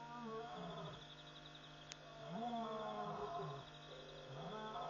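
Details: Lions call repeatedly after midnight at Pete's Pond, Mashatu Game Reserve, Botswana, on 5 August 2014, giving deep, moaning calls that rise and fall in a slow series.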